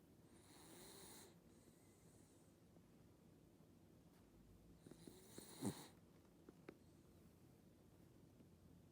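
A corgi snores with slow, breathy rasps, each long rough inhalation followed by a pause.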